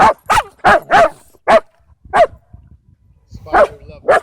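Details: Dog at a dog park where a scared dog draws unwanted attention and others race and play; a rapid run of loud sharp barks, five quickly, a pause, then three more.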